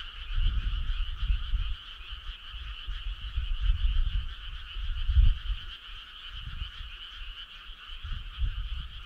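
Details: Frogs calling together on a summer night along a country road: a steady, dense, shimmering trill chorus with no breaks, overlaid by irregular low rumbling thumps that swell and fade every second or two.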